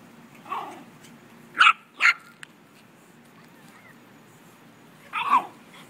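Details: Chihuahua playing with a puppy, giving short, high, yappy barks at irregular intervals: one early, a quick pair close together, then a doubled bark near the end, with quiet background between.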